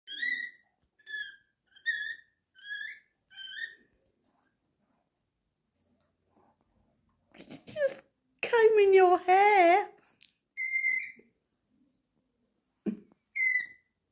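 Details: Tiny, a pet guinea pig, during a grooming session with anti-pest treatment, gives five short high whistling squeals in quick succession, then a wavering cry with people talking and more brief squeaks.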